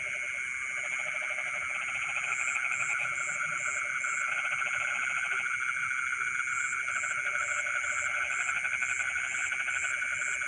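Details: In rice fields in the middle of the night, a dense chorus of frogs gives steady pulsing croaks layered with high, insect-like trills.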